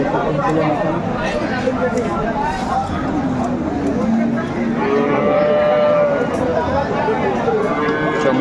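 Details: Dairy cows at the Aftabganj livestock market in Dinajpur, sold with calves; drawn-out low moos rise and fall through steady crowd chatter and bargaining voices, with several overlapping calls around the middle.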